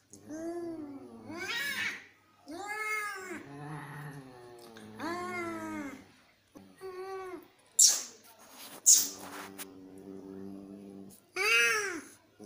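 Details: Cat (Felis catus), yowling: fighting.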